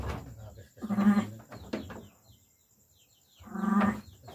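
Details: Sheep during lambing: two wavering, nasal bleats about three seconds apart, each lasting roughly half a second, with faint human voices in the background.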